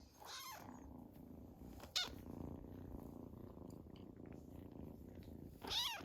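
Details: Two-month-old female Scottish Fold kitten exploring a living room for the first time indoors; a soft steady purr runs throughout, interrupted by brief louder rustles and a short squeaky sound near the start and end.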